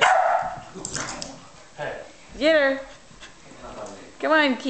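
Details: An adult Pembroke Welsh Corgi, enticing a puppy into a bout of frantic random play and chasing, gives two tonal, arching barks, rising then falling, over a person's encouraging voice.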